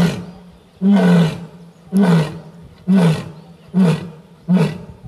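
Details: An Asiatic lion in Gir National Park, Gujarat, India, gives a series of deep, grunting roars about a second apart; Asiatic lion (Panthera leo persica) roar.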